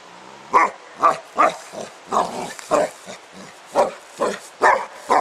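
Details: A dog named Spike at play outdoors with a 10 lb weight makes a rapid run of short, gruff huffing barks, about two each second, steady throughout.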